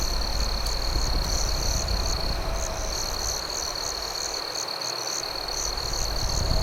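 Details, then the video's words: A night chorus of crickets beside a campfire, with a steady high trill and bursts of sharp, high chirps. Faint crackling lies beneath, and the low rumble briefly drops away near the end. "Night Campfire Ambience with Cricket Sounds"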